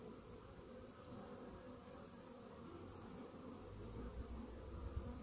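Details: Honey bees in a hive infested with Varroa mites, half an hour after a morning Varachet treatment; a steady low droning hum throughout, swelling slightly louder toward the end, with a faint constant high tone above.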